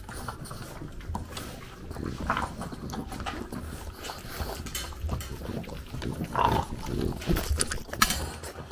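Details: French bulldog at breakfast in Japan while a puppy comes to aim for the food; snorting, snuffling breaths and crunchy chewing bursts, one brief squeaky note near the end, small room.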